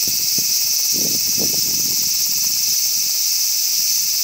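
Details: Cicada calling in Ibaraki Prefecture, Japan: a loud, steady, high-pitched electric buzz with no breaks, several shimmering layers held at constant pitch, and faint soft low thumps near the start.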